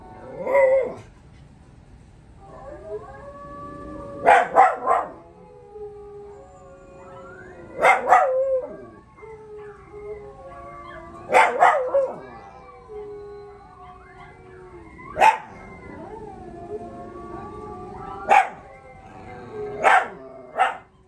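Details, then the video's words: Pups join a dog howl challenge. Several overlapping drawn-out howls slide up and down, punctuated by sharp barks roughly every three to four seconds. "Dog howl challenge"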